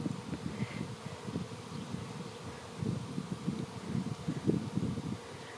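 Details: Swarming honey bees in the air, soon to land on a branch and be moved to a new hive; a low, continuous buzzing drone mixed with rustling and faint wind.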